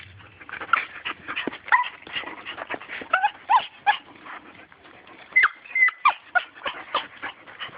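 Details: Little dog eager for a turtle gives monkey-like vocalizing: a dense run of short, high yips and squeaky whimpers, some sliding up or down, coming in quick irregular bursts throughout.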